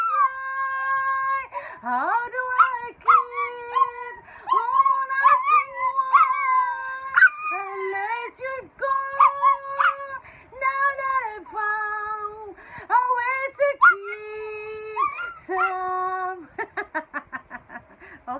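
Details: Pet Miniature Pinscher howling along with its owner singing the song Broken Vow in the Philippines; drawn-out wavering howls with rising and falling notes over a steady held tone, ending in quick pulsed yips.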